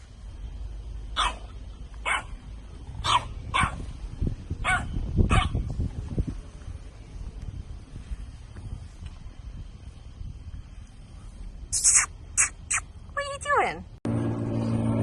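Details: French Bulldog puppies give a run of short, sharp yapping barks roughly once a second, then a quick cluster of higher, thinner yips near the end, over a low rumbling background.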